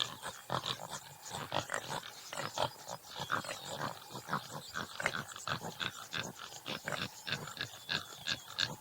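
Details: Topi antelope, subspecies Damaliscus lunatus jimela, giving a dense run of short, harsh grunting pulses that crowd together and overlap, with faint chirping birds in the background.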